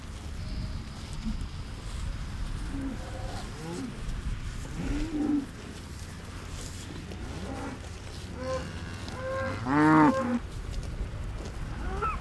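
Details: Large Holstein-Friesian dairy cows in West-Friesland lowing repeatedly: scattered short moos, then one loud, strongly harmonic bellow near the end, with further brief calls and a steady low outdoor rumble.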